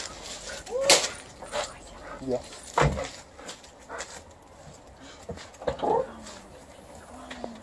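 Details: Female Alaskan Malamute greeting an arriving aunt indoors and expecting a treat: short rising whines and brief yips at irregular intervals, interleaved with a person's speech and sharp clicks.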